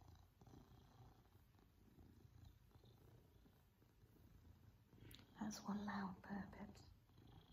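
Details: Male Maine Coon cat purring during affectionate cuddles with his family indoors, a soft continuous low rumble, then a woman's voice and kissing sounds near the end.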